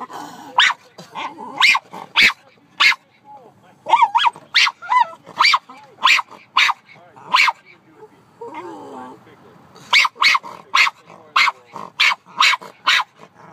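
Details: Lyla the dog barking at the birds, a steady run of sharp, short barks repeated roughly every half second, with a brief pause midway and a person's voice faintly in the background.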